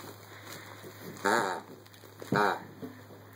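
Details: A Rottweiler playing in the early morning makes two brief, wavering, groaning whines about a second apart, like a grumbling moan, over a low steady electrical hum.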